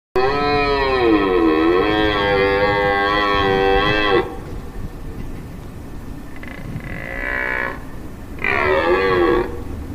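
A red deer stag gives long, drawn-out bellowing roars, typical of the rut.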